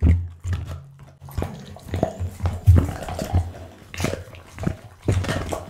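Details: Pit bull named Bounce eating a raw-food meal indoors: wet, irregular crunches and smacking bites in uneven bursts, with a steady low hum underneath.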